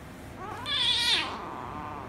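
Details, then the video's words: Kitten indoors, a rescue kitten provoked by a ginger kitten: one short, high, loud meow that swells and fades within about half a second. "Ginger Kitten Made The Rescue Kitten Angry, But Kiss & Lick Kitten At The End - Cats Meowing"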